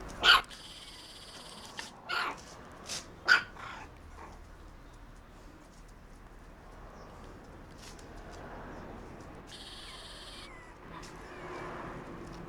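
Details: Three Shiba Inu puppy siblings born November 28 give three short, sharp, high yelps in the first few seconds, spaced about a second apart. Quieter stretches of rustling and scattered clicks and clatter follow, with a faint squeak near the end.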